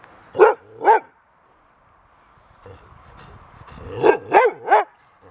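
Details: Laika dogs barking at the owner's place at night-time rounds to check a pregnant female: two sharp, loud barks, a quiet pause with faint murmuring, then a quick burst of three more barks.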